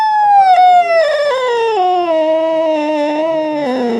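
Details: Domestic cat making a strange sound: one long, loud, unbroken wailing yowl lasting about four seconds, pitch sliding slowly downward from a high start to a lower, wavering end.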